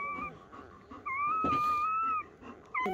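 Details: Betty the German Shepherd's newborn pup, on the first night of birth, whimpers in brief high tones followed by a longer level whine lasting about a second, then a short squeak at the end, in a quiet room.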